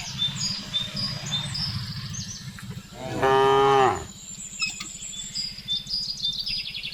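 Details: , Domestic cattle driven along a village road by a young herder toward the pen in late afternoon, calling to the herd: one loud, harmonic moo lasting under a second, over a steady low pulsing hum and high bird chirps.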